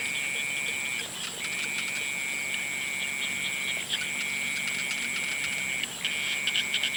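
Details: Sunset frog chorus of sustained high-pitched trills, each lasting one to two seconds before a short pause. Steady shrill background tones continue the whole time, with a few faint clicks near the end.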